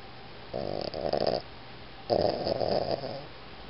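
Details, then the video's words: Boston Terrier snoring indoors: two rough, pulsing, buzzy snore breaths, each about a second long and separated by a short quiet pause, over a faint steady room hiss. "ボストンテリア イギー いびき"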